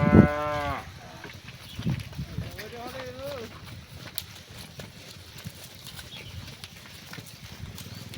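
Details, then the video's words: Cows calling to their herd mates while being herded back to the barn in the afternoon: a loud, harmonic-rich moo opens, then a softer wavering, rising-and-falling moo follows, over low rumbling background noise. "The Sound of Cows Calling Their Friends"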